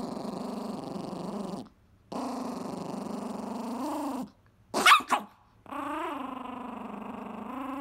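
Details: Chihuahua guarding a pizza crust, growling angrily: sustained buzzy growls held for seconds, pausing briefly, with a sudden sharp snap or yelp-like burst before the growl resumes, steady and tonal.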